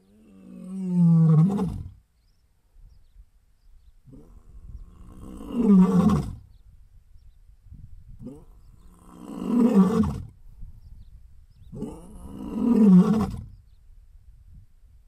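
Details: Southern male lion vocalising: four deep, drawn-out roaring moans, each about one and a half to two seconds long, swelling and fading, spaced roughly four seconds apart, with quiet breathy grunts between.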